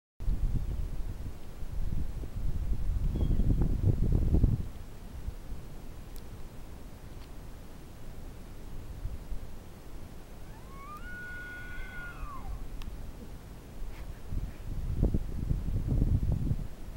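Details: An elk bugles once at sunset in Rocky Mountain National Park on 17 November 2012, a rising note that climbs into a long, high, steady whistle before dropping away.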